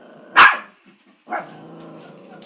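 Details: Maltipoo dog barking at an oil painting of a grandfather that caught its attention; one loud sharp bark followed about a second later by a softer second bark, with quiet room background.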